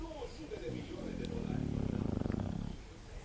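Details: English Bulldog Sofia asleep, giving a low rattling snore that builds into a pulsing vibration for over a second, preceded by soft breathy murmurs.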